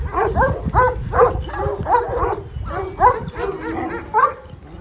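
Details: Kangal shepherd dogs of the golden Kangal type bark in short, separate, slightly rising yelps, about one per second, often in pairs. A low background rumble runs underneath.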